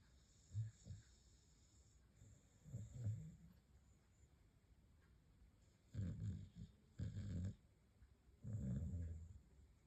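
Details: Staffordshire Bull Terrier snoring lightly while asleep: soft, low, rumbling snores in irregular bursts, some longer and louder than others, against a faint steady indoor hiss.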